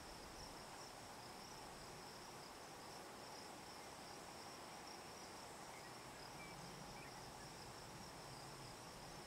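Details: In Picket Wire Canyon, southeastern Colorado, a Hadoa inaudita cicada sings from a juniper tree on a July 2009 evening near 8 PM; its high, level buzz runs without pause above dense broadband hiss.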